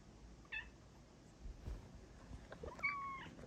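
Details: A female Bengal cat gives a brief chirp, then a longer, clear meow that rises and falls, while seeking cuddles from her owner.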